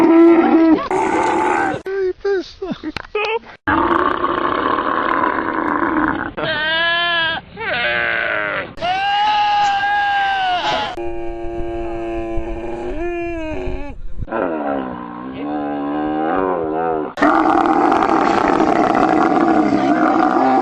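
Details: Camels yelling, screaming, roaring and growling in a run of quickly cut segments: drawn-out harmonic bellows, wavering screams and gurgling groans. Short breaks and abrupt changes separate the calls, with a voice-like layer in places.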